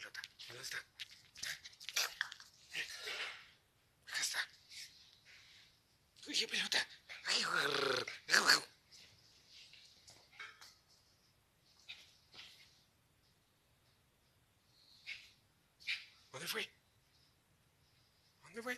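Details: Energetic male Chihuahua playing ball indoors, giving rough, noisy growling bursts in irregular clusters with pauses between, while a person speaks Spanish nearby.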